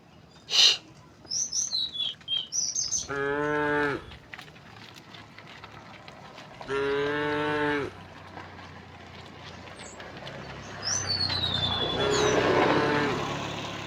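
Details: Tame cows walking along a quiet country road, mooing: two steady harmonic moos about a second each, separated by a pause, over chirping birds with thin descending whistles.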